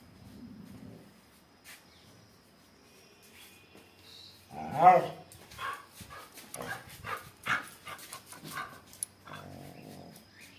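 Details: A Miniature Pinscher gives one sharp, loud bark, followed by a quick run of shorter yapping barks.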